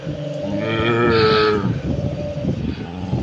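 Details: Street dog 'singing' by howling: one wavering tonal howl lasting about a second, rising slightly then holding steady with rich overtones, set against a constant low rumble and a woman's voice.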